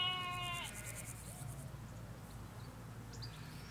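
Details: Ewes with lambs in a field in the Hampshire countryside: one harmonic bleat at the start, steady then falling, followed by low rumble of distant road traffic and faint chirps of small birds.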